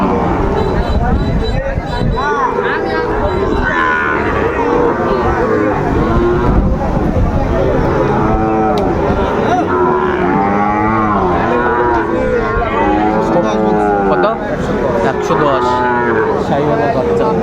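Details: Sahiwal bull calves being bought and sold at a Kushtia market in Bangladesh, 2 August 2024: repeated arching moos from several calves overlapping, with steady crowd noise and talking throughout.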